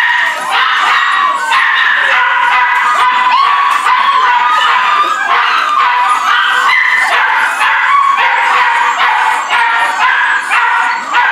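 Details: Several rescue puppies, a Corgi Airedale mix, awaiting a Dec 31 adoption date, make a dense, continuous chorus of high, wavering whines and short yips that overlap throughout with no pause.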